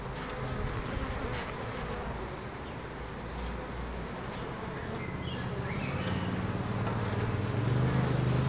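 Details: A massed buzzing of bees in Ebersberg carries on steadily, then a lower, more tonal hum swells and grows louder toward the end, with faint bird twitters in the background.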